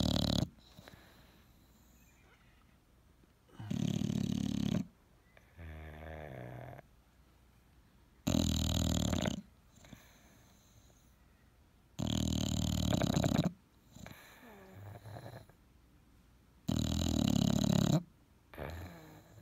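An English bulldog snores loudly, with a harsh rasping inhale every four to five seconds.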